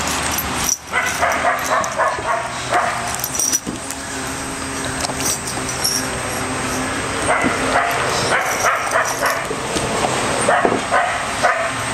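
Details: Three dogs at play, Bella an American Staffordshire terrier, Orson a red heeler pup and Patches a Border Collie, give short bursts of yips and barks in clusters over a steady broadband background hiss.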